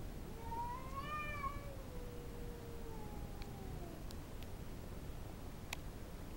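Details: A pet cat, female, growls and yowls at another cat intruding in the backyard; one rising, wavering moan swells then sinks into a long falling tail, followed by faint clicks over low background hiss.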